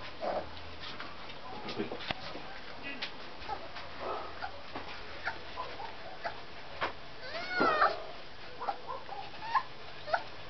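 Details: Bull Terrier puppy, 26 days old, giving short squeaky whines and one longer wavering, rising-then-falling whimper near the middle, amid scattered clicks, rustling and faint background voices indoors.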